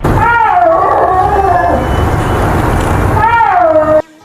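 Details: Snow leopard, one of the cat family's distinctive voices: drawn-out, moaning tonal yowls at the start and again near the end, separated by a rough, breathy noisy stretch.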